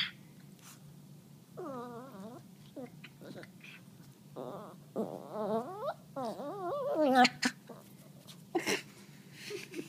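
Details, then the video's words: Peanut, a Chihuahua trying to bite a hand, gives bursts of warbling, moaning grumbles that bend up and down in pitch, separated by short pauses and a few sharp clicks, indoors. "chihuahua making funny noises"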